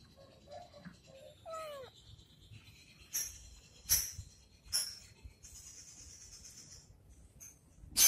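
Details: Domestic cat playing with a stick indoors, giving a few short meows early on, the last one a longer falling harmonic cry, followed by clicks, rustles and thumps of play with a steady high electronic whine behind.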